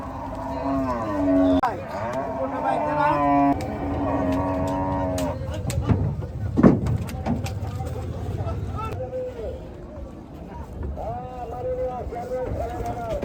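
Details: Gaiya cow being unloaded at a cattle farm, lowing in deep, harmonic moos over the first five seconds, overlapped by men calling out in Bengali, with scattered bangs and handling noise.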